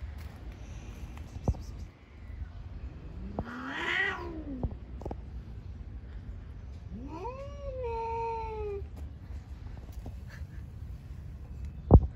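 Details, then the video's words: Cats fighting on the street: two drawn-out, wavering yowls, the first rising then falling, the second rising sharply and sliding slowly down, over a low rumbling background with scattered clicks and knocks. "Cats on the street are fighting with a lot of funny sounds."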